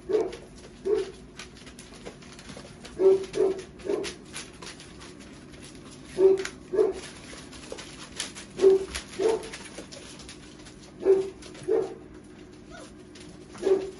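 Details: Litter of puppies almost four weeks old at a kennel in Nijmegen, Netherlands: short low yips or squeaky whines in loose pairs every few seconds over a steady faint hum.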